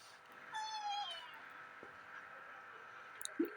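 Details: Pet cat meowing once indoors, a clear harmonic call of about half a second with a slight rise then fall, followed by quiet room hum and a faint click near the end.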